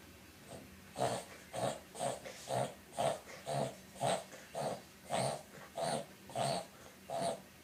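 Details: A Boston Terrier has a reverse-sneezing fit (brachycephalic breathing spasm, not asthma), giving rapid, rhythmic honking snorts in a steady series after licking its snout.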